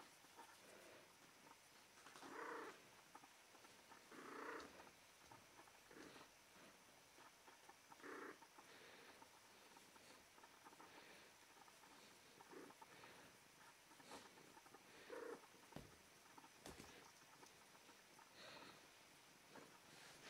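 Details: Female cat in heat; short, tonal calls with clear overtones come at irregular intervals, with the strongest near the start and a few more later, against a steady low hiss.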